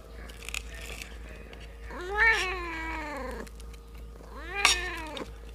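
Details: A kitten fed a cooked fish head and rice gives two arched, whining meows about two seconds apart, each rising then sliding down, with soft ticking sounds beforehand.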